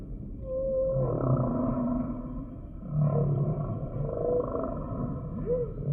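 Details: A humpback whale sings a sequence of clear whistled units, some flat, some rising then falling in a quick arch, mixed with low rumbling groans against a continuous underwater background.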